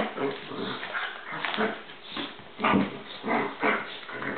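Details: Two dogs fighting, with a continuous rough, growling mix and several louder yelping bursts near the end; dense noisy sound throughout.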